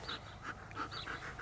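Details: German Shepherd, a trained working dog, compliant and eager to perform: quick, breathy panting in a steady rhythm of about six huffs over a second and a half, with no other clear sounds.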